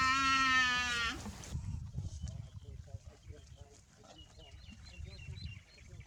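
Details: Small buffalo calf with soft brown fur and budding horns, out in a vast green grassy field, gives one drawn-out, nasal, slightly falling bleat of about a second, followed by low rumbling wind and handling noise with faint chirps.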